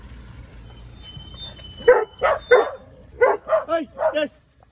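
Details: Terriers and other dogs in a pack of seven welcome their owner at a woodland gate at Herewood. After faint background sounds, two short bursts of three rapid, loud barks each follow.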